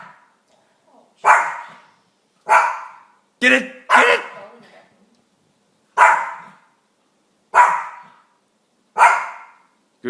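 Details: Excited female dog barks at the television after a trick routine of sit, drop and roll. Seven or eight sharp single barks come roughly every one to one and a half seconds, with a person's encouraging voice nearby.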